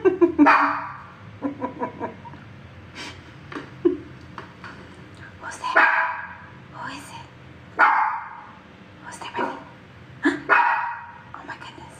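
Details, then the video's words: Shih Tzu reacting to different sounds, giving short sharp barks in bursts spread across the recording, with a person speaking nearby between the barks. "Shih Tzu's reaction to different sounds"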